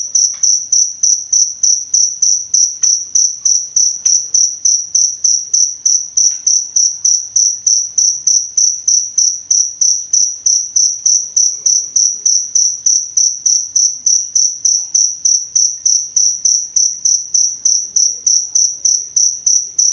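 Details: Cricket song used in Indonesia as masteran material and therapy for songbirds: a long run of sharp, high-pitched chirps, regular at about three each second, steady in loudness, with occasional faint ticks underneath.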